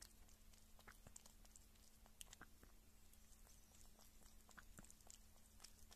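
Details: Female pet kitten, filmed at about one month or six months old, eating meat or drinking milk: soft wet clicks and smacks of chewing, repeated irregularly, over a constant faint low hum.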